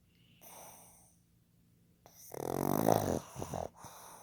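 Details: Male pug Fukuzo, born 15 July 2020, asleep at home: a faint wheezy inhale, then a loud gurgling, snorting snore with rough bursts and a sharp catch near its end.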